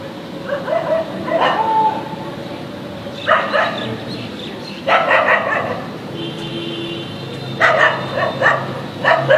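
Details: German shepherd puppy, described as angry, barking loudly in the street: four sharp, loud bark bursts roughly every two seconds, each with a short yelping tail, over a steady background hum.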